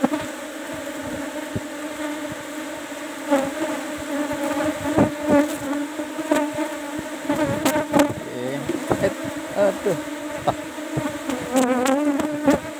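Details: Asian honey bees (Apis cerana) buzzing around a kept hive box, number 17, as honey is harvested; a dense continuous hum, wavering tones from bees flying close, frequent knocks and handling clatter.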